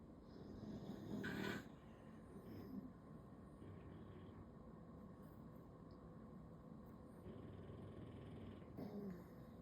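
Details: Low, rough snoring from a sleeping bulldog lying belly-up on a Sunday: a continuous grainy drone with a louder snort-like breath near the start and another near the end.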